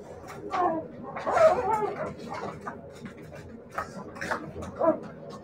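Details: Siberian Husky puppies whimpering: a short whine near the start, then a louder, wavering burst of whining and yelps after one second, with softer whimpers and a final brief whine before the end.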